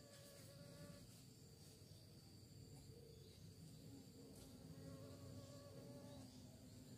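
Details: Bees buzzing while searching for prey. Several droning tones overlap and drift slightly in pitch over a low, steady hum. Faint clicks and rustles run underneath.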